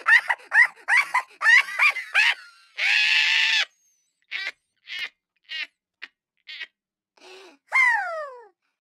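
A Siberian Husky 'talks' in a run of bending, yodelling woos, whines and a drawn-out groaning howl.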